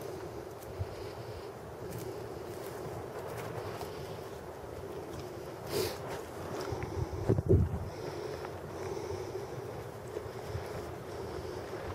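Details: Low rumbling wind noise on the microphone, with a few brief handling bumps and no clear animal sound.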